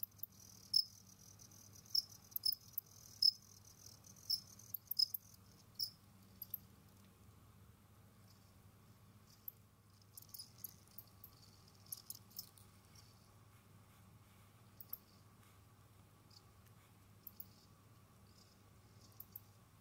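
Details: Jamaican field crickets kept as pets, roaming, digging and hunting, give short high chirps, irregular and about a second apart for the first six seconds, then scattered broadband scratching clicks over a steady low hum.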